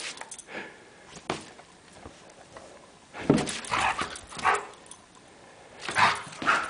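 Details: Samoyed named Suka playing outdoors on a cold morning with lots of energy; short yelping barks and whiny vocal bursts come in clusters at mid-clip and near the end, separated by quieter gaps with faint rustling.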